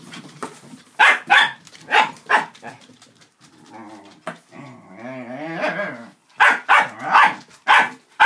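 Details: Five dachshunds, two of them puppies, playing among a cardboard box, paper stuffing and a cat tunnel: paired sharp barks, a quiet stretch with a long wobbling tonal sound, then a fresh run of yapping.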